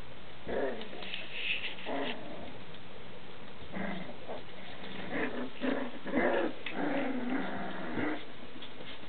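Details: Standard Schnauzer puppies, three and a half weeks old, playing indoors: short rough growls and squeaky yips come in irregular bursts, several voices overlapping, some whining notes sliding up and down.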